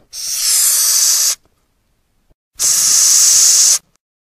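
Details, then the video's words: Madagascar hissing cockroach producing two loud breathy hisses, each lasting about a second and a quarter, separated by a pause of silence; broad airy noise with no tone. "Odgłosy i Dźwięki jakie wydaje Karaczan madagaskarski"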